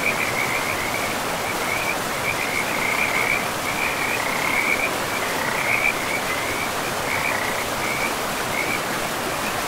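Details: Frogs by a river deep in a pristine, mossy forest, voicing a chain of high, rapid trilled croaks that rise and fall in short bursts across the whole stretch, set against constant rushing river noise.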